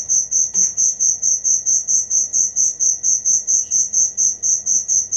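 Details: A cricket sings for songbird training use: very regular, high-pitched chirps roughly two per second, ringing and even throughout, with a brief faint knock early on.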